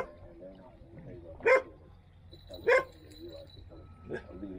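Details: Standard Poodle in Ketchum, near Sun Valley, Idaho, giving two short, sharp barks about a second apart, then a fainter third, over low talking and household background.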